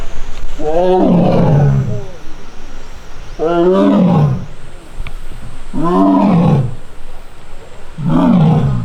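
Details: Young captive Korean tiger Taebeom at the tiger forest of Baekdudaegan National Arboretum, Korea, recorded August 1, crying out, annoyed after failing to win back a mat and missing sibling Mugung. Four drawn-out, falling, harmonic moans come roughly every two and a half seconds over outdoor background noise.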